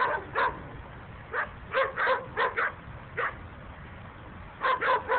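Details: Several domestic dogs chained outdoors on short chains behind a house in late December bark in short, sharp bursts, some single and some in quick doubles and triples, with a nearby dog joining in.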